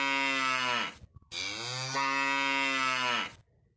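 A cow gives two long, deep moos, the second drawn out and slightly rising.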